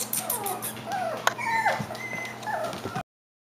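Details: A Klee Kai and Shiba Inu puppy aged five-plus weeks whines repeatedly, thin whistled whimpers rising and falling over three seconds, mixed with rustling and a sharp tap before abruptly ending in silence.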